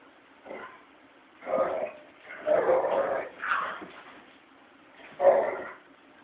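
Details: Playful growling from two American Pit Bull Terriers, a five-year-old male with a puppy from his first litter: several throaty, snarling growl bursts rising and fading, with short pauses between, ending in one sharp louder snarl.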